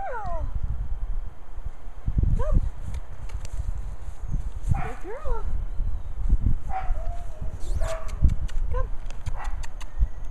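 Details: Angela, a puppy born March 13, 2014 to Shasta and Xerxes at Eskridge Kennel, gives high whimpering whines: a falling whine at the start, then short rising and bending yelps, over low rumbling background noise.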